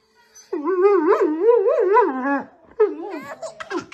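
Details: A Siberian Husky tickles a baby indoors, giving a wavering, yodel-like vocal run that rises and falls for about two seconds, a brief break, then a shorter burst of the same warbling sound.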